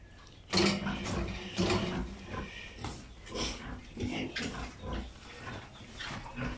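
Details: A pig in a pig pen gives short harmonic grunts near 0.6 and 1.6 seconds, followed by scattered quieter grunts and snuffling, with clicking and rustling noises throughout.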